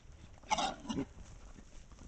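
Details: Wild boars from a pack recorded by a trail camera in Estonia give one short, harsh, squealing grunt broken into two quick parts, with faint background noise before and after.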